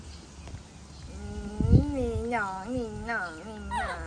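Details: Upset baby monkey protesting its mother's departure, giving a run of wavering, tonal cries that bend up and down in quick succession, over a low background rumble and faint human voices.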